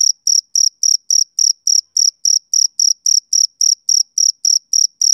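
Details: Steady chirping from a male cricket. Bright, shrill pulses come roughly three times per second in an even rhythm, with no background noise, voices or other animals.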